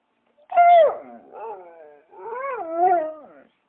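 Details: Dog: a drawn-out howling whine of about three seconds. It starts with a strong tone that drops, then swells into a second wavering, undulating phrase before fading. No other sounds are heard.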